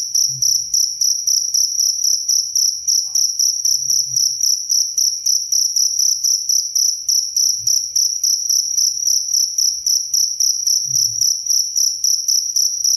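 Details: A cricket chirps steadily in a clean recording meant for sleep and for training caged songbirds, giving piercing high trills in quick even pulses, roughly four a second, without pause; occasional soft low bumps sit beneath.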